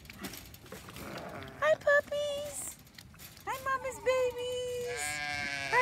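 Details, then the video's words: Domestic sheep on a farm at hay feeding time, with a hungry new ram lamb among seven lambs; drawn-out, harmonic bleats, several steady and a few wavering, break through a woman's chatter and greetings. "Our sheep are getting some hay & our new baby sheep ram lamb is hungry"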